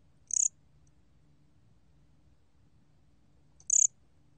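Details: Gom-gwitturami cricket, National Institute of Biological Resources, 2020: two sharp, shrill, rapidly pulsed chirps about three seconds apart, with silence between apart from a faint low hum.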